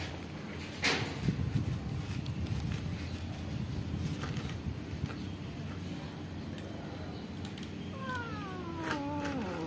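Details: Cats and kittens living at a pagoda meowing to ask for food; rustling and low background noise fill most of the stretch before a pair of clear, falling, wavering meows near the end.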